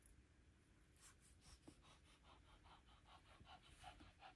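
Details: Lacey, an older Shih Tzu slowed with age, roams the carpeted upstairs indoors for her daily morning exercise; soft, quick breathy pants come in a steady train of short bursts, quiet under a low room hum.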